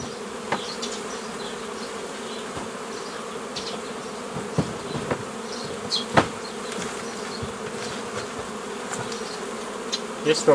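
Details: Honey bees buzzing while nucleus colonies are formed the old way from a previously made forager swarm, 15 May 2018; a dense steady hum with many overlapping wingbeats, with occasional sharp clicks and knocks of hive work.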